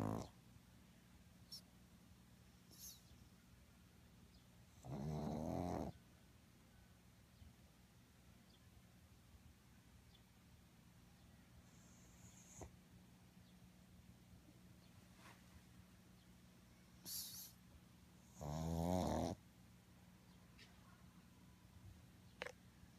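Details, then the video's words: Two snores from a sleeping pug, each a harsh, buzzing, rattling inhalation of under a second, roughly thirteen seconds apart. Faint clicks and soft rustles are heard between them in a quiet room. "Мопс храпит"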